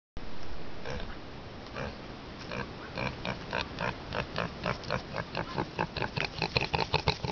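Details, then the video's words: Pot-bellied pig, a pet, happy on seeing its owner, giving short grunts that start sparse and speed into a steady run of rhythmic grunts about three per second, in a quiet indoor setting. "Pot Belly Pig - Happy Teddy"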